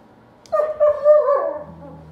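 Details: An Alaskan Malamute, "discussing" with a German Shepherd, gives a wavering, talkative howl that holds steady, then slides downward.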